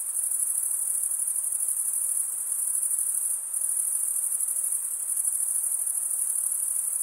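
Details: High, rapidly pulsing trill of stridulating male crickets, running steadily with a short dip in intensity partway through before resuming at full strength.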